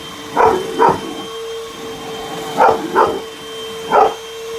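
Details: Young dog attacking a vacuum cleaner, giving paired sharp barks and then a single bark, separated by about two seconds, while the vacuum drones steadily underneath.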